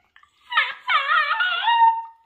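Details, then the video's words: Female basenji vocalising indoors as her owner prepares for a walk: two drawn-out warbling, yodel-like moans, the second longer and falling to a steady tone. Soft background music and Russian speech around it. "Talkative basenji - compilation of Makena's vocalisations"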